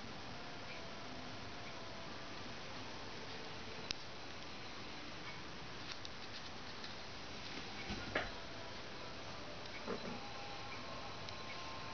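Low steady background hiss with a few soft taps and rustles, and no clear animal calls.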